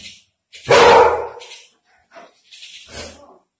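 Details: Labrador Retriever barking while playing with a bird: one loud, harsh bark, followed by a few quieter short yips and soft higher chirping sounds.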